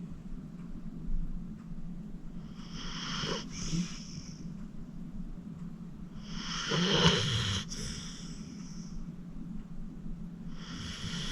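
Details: Acorn, a 14-year-old rescued senior pit bull, snoring while deep asleep indoors: two long rasping snores with a whistling edge about four seconds apart, a third beginning at the end, over a low steady breathing rumble.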